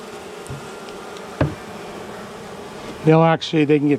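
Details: Defensive honey bees, angry after dark during the first day of a cutout from a house wall on March 6: a steady background hum, a sharp knock, then loud close buzzes in the final second.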